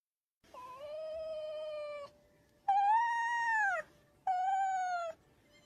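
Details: A red fox (Vulpes vulpes) in the wild gives three drawn-out, whining calls, clear and tonal, each falling slightly at the end.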